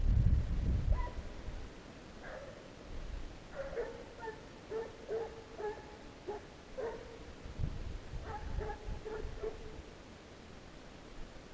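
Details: Hunting hounds on a fox chase give ragged bursts of drawn-out, tonal baying. The voices sound distant and come repeatedly across about eleven seconds, with low rumbling wind or handling noise loud at the very start.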